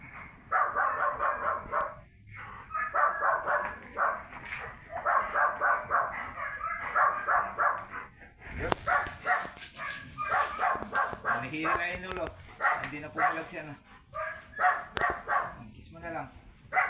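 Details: Labrador Retriever during a stud session at Labit West, Urdaneta City, Pangasinan: rhythmic, rough bursts repeating quickly for about eight seconds, then a sharp noise and a stretch of higher, wavering whine-like tones among scattered knocks and background voices.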